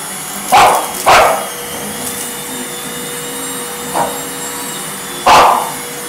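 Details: An English Bulldog attacking a running vacuum cleaner, as it does every time the vacuum comes out, gives short, gruff barks: two close together, then two more spaced apart, over the vacuum's hum.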